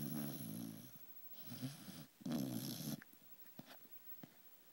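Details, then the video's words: Sleeping pet beagle gives three loud rumbling snores, each lasting about a second, followed by quieter breathing and small clicks in a calm indoor setting. "Sleeping Snoring Beauty, our cute beagle!"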